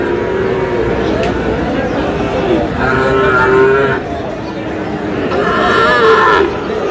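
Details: Sahiwal bull calves at market sale in Aftabganj, Dinajpur, on 11 July at the start of trading; a couple of short mooing calls partly buried under constant crowd chatter and voices.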